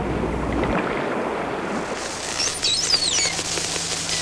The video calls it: Whales 1/3 Pilot Whales Talking, Killer Whales Going